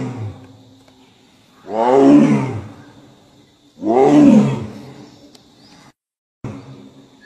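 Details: Royal Bengal Tiger giving two low, hoarse roars about two seconds apart, each a loud swelling moan that trails off; the recording briefly cuts out near the end, with a thin steady whine behind.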